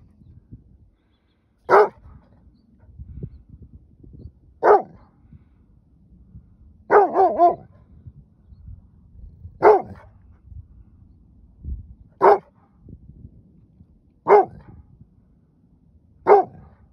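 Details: Judge, a Rhodesian Ridgeback, barks back at a coyote pack after chasing one into the brush. Seven sharp single barks, one a quick double, spaced two to three seconds apart over low background noise.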